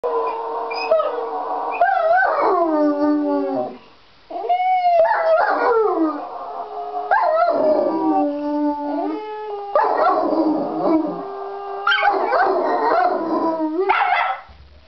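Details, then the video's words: Two pet dogs, Uther the Jack Russell and Galahad the Irish Wolfhound, howling to go for a walk: overlapping wavering howls with sliding pitch, rising and falling in long drawn-out notes, breaking off briefly near four seconds before resuming. "Hilarious Video of Uther (Jack Russell) and Galahad (Irish Wolfhound) howling to go for a walk!"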